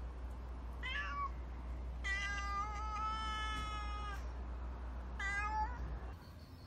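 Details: Nero, a black street cat known for his unusual cry and emotional nature, calls while being fed; a short meow, then a long steady harmonic meow of about two seconds, then another rising meow, over constant low hum.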